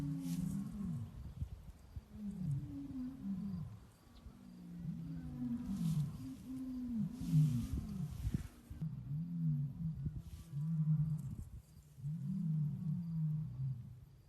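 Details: Lion calling in a run of short, deep, arched grunts, repeated in several bouts, fairly quiet, with background music faintly present.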